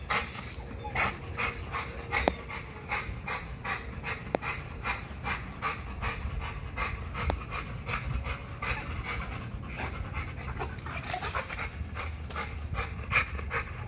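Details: An XL American Bully pants hard during a spring pole workout at Caona Bullys. Quick, regular breathy huffs run through the whole stretch, roughly two per second, with occasional sharp clicks and a faint low hum beneath.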